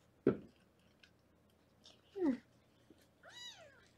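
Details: Kitten in a Los Angeles foster room during weighing gives a single high, arched meow near the end, after a couple of dull thumps and knocks in an otherwise quiet room.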